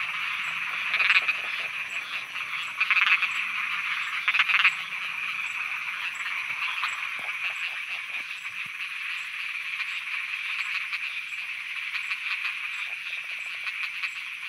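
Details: Frogs croaking at night in Thailand: a dense chorus with a steady band of trilling and rattling calls, louder pulsed bursts around one, three and four and a half seconds, and a faint rhythmic insect-like ticking high above.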